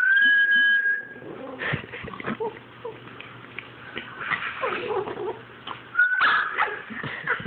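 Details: Boston Terrier reacting to a whistle: a steady, level whistle opens, then the dog answers with broken whimpers and short yipping cries. It quiets briefly, and a second whistle near the end sets off louder whining.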